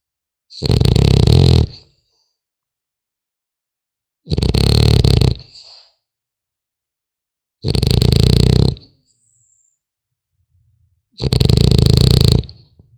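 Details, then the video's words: Four heavy snores from a sleeping French Bulldog puppy, each a grating low rumble of just over a second with a whistling hiss, coming every three to four seconds amid silence. "Храп щенка французского бульдога"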